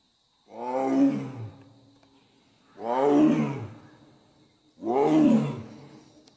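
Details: Royal Bengal tiger giving three deep, rasping roars roughly every two seconds, each loud at onset and trailing off into a low rumble.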